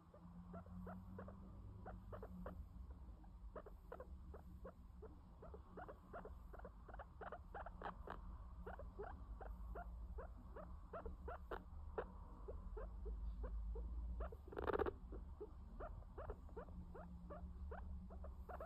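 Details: Sheltie guinea pig named Max, a pet, giving a long run of short squeaky chirps, roughly two per second, steady and unbroken, over a low background hum, with one brief louder burst of noise near the end.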